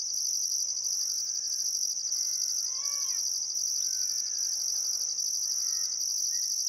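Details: Still summer sunset at Welford National Park on the Barcoo River, Australia: crickets keep up a loud, high, pulsing trill while several birds give brief rising and falling harmonic calls.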